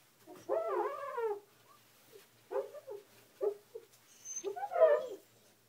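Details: Kiba, a pet husky, indoors in the evening, curious and confused after a glass cleaner squeaked on a bathroom mirror: a long wavering whine, then several short yelps, ending in a warbling, rising-and-falling whine.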